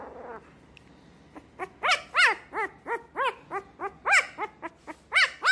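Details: Pet dog yapping in a rapid series of high, ringing barks, about a dozen sharp harmonic yelps in uneven bursts over five seconds, each bark quickly rising then falling in pitch, with no other sounds.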